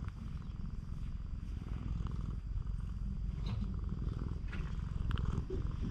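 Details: Stray cat on a cat island seeking affection, filmed with a GoPro HERO8: a steady, low rumbling purr runs unbroken through all six seconds, with faint scattered clicks and rustles above it.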